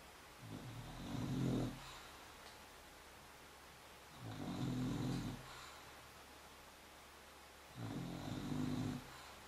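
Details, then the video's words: Female English Bulldog snoring while asleep, her favourite hobby: three low, rattling, throaty snores, each about a second long, repeating roughly every three and a half seconds with quiet breathing gaps between. "English Bulldog - Snoring!"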